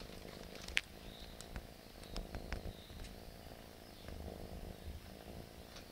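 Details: Persian cat playing with a plastic bag, giving a soft, steady low purr that runs through the whole stretch, broken by sharp crinkling crackles of plastic at irregular moments.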